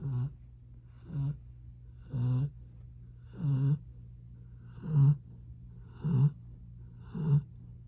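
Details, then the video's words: Dallas, a year-old Rottweiler, asleep along the bedroom door, giving deep raspy snores about every second, each a short low rumble with breathy upper texture, quiet room between breaths. "When you want to leave your bedroom but your snoring Rottweiler says otherwise"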